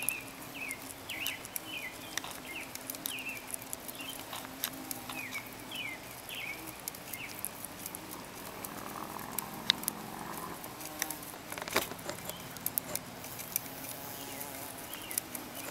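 A carpenter bee gives a low, steady droning buzz while small birds chirp in the background.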